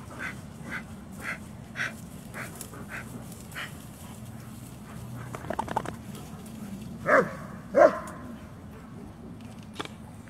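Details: German Shepherd Dog giving two short, loud barks close together near the end, after a stretch of faint, soft tapping sounds over a steady low hum.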